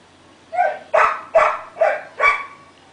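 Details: A pet dog gives a run of five loud barks, evenly spaced about every 0.4 seconds, each a short harmonic burst with a slight upward yip at the start; the background stays quiet.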